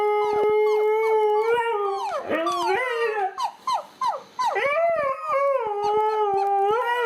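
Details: Dog reacting to an annoying sound with a sustained howl that breaks midway into a run of short yelping, downward-swooping cries, then resumes as a long, steady wail.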